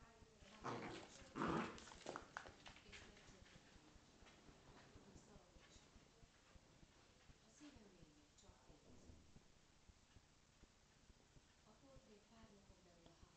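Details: Corgi and Scottish Terrier playing together, harsh noisy growling bursts loudest in the first two seconds, then softer rasping grumbles and scuffles trailing off over the remaining seconds, with faint human voices underneath.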